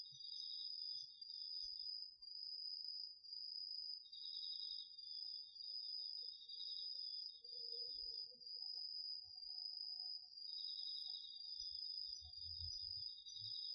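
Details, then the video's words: Nighttime autumn insect chorus, crickets and others, in a home garden field recorded on a DR-40X: an unbroken high ringing trill with a lower pulsed trill starting and stopping several times, faint low rumble near the end. "秋の虫の声 ASMRでおやすみなさい 〜虫の音を枕元で聞いてね〜 こおろぎ他"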